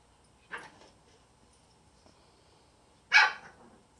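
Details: Shih Tzu/Pekingese mix puppies at play: a faint short bark, then after a pause one loud sharp bark, with a quiet background.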